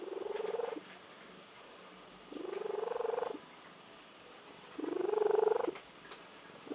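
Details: Domestic female cat with an unusual purr likened to a tree frog; rough, pulsing, buzzy bursts of about a second each, repeated every two to two and a half seconds, separated by quiet pauses.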